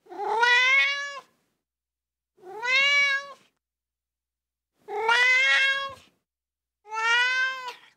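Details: A ginger tabby kitten gives four drawn-out, rising-then-falling meows, each about a second long, with short pauses between.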